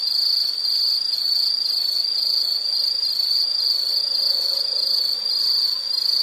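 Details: An insect sings a dense, unbroken high trill with a fine rapid shimmer, steady in pitch and loudness throughout, with no other sounds.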